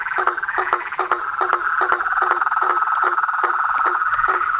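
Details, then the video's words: Nightfall chorus of frogs, toads and treefrogs at a pond beside a house, a continuous buzzing trill overlaid by regular knocking clicks roughly two or three per second. "A SINFONIA DOS SAPOS, RÃS E PERERECAS"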